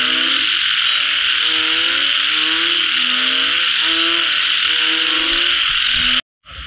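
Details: Frog calls after rain: repeated upward-sweeping harmonic croaks from multiple animals over a steady high droning chorus, cut off abruptly near the end by a brief silence.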